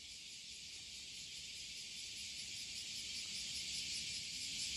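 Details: A dense chorus of cicadas on a hot July morning walk in 2021 gives a steady, high, shrilling buzz that barely changes from start to finish.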